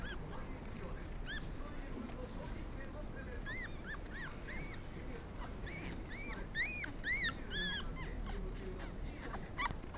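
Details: Black and black-and-tan Pomeranian puppies born 17 November, at a puppy shop in Kadoma, Osaka, give thin, high whines rising and falling in short arcs, with squeaky yips bunching toward the end, several overlapping over a steady low rumble.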